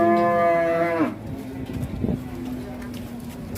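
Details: Big cattle unloaded from a truck, agitated, one loud rich moo lasting about a second that then cuts off, followed by quieter lowing, clattering and background music.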